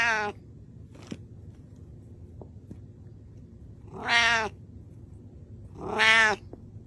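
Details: Hungry pet cat calling for food, asking for salmon: three harmonic meows, one cut short at the start, then two long drawn-out wavering cries about two seconds apart, with faint clicks between them indoors.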